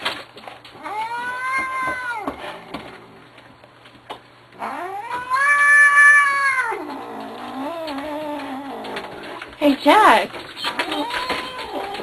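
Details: Grumpy Manx cat kept as a pet, yowling in long drawn, wavering howls of rising then falling pitch, one loud swelling wail in the middle, a person talking to it between cries.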